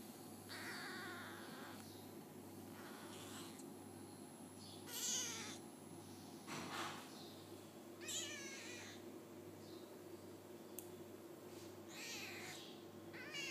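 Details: Five-day-old F1 hybrid Bengal kittens, sired by a leopard cat with a Bengal mother; thin high mewing cries repeated every one to two seconds, with a steady low hum beneath.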